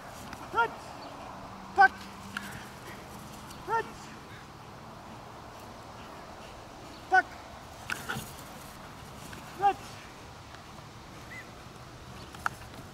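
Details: German Shepherd, a trained dog, working through obedience commands: short, sharp barks with a few bright overtones, fired singly at irregular gaps of one to three seconds over a quiet background.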